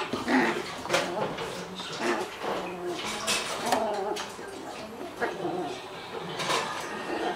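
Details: Kuri, a two-month-old toy poodle puppy who has just arrived at a new home, gives short high whimpers and squeaks in bursts over several seconds, with people talking in a small indoor room.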